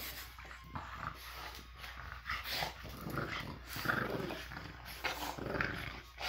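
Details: Two French Bulldogs playing tug-of-war indoors after breakfast on a Monday morning; low rumbling play growls and huffing breaths rise and fall in bursts, with rustling and scuffling from the toy.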